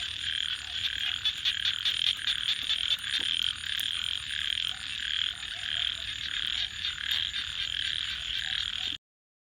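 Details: Nighttime frog chorus with a crackling campfire: steady high-pitched pulsing calls fill about nine seconds, with fire snaps scattered through, then the sound cuts to silence.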